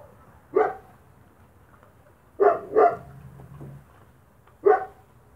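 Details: Spanish Mastiff puppies from the vegas altas del Guadiana, Spain, eating dry feed. Four short, sharp barks at uneven intervals, two of them a quick double, over a low background rumble.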